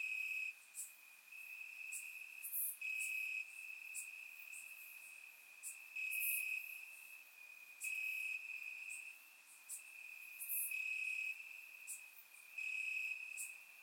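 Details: Night chorus of crickets in Bulgarian grass on a warm summer evening, surround-recorded; a constant shrill ringing tone with louder stretches swelling and fading every couple of seconds, plus sharp clicking pulses above.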